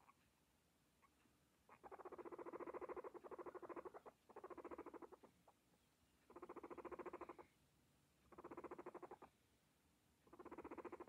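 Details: Several pet guinea pigs eating: bursts of rapid, crunchy chewing lasting about a second each, repeating in five or six runs with short quiet gaps between them.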